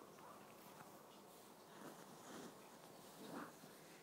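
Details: Awaru, the household's eldest cat, breathing heavily while dreaming in his sleep at home: soft, breathy puffs swelling roughly every half second to a second, loudest near the end, over a steady faint room hiss.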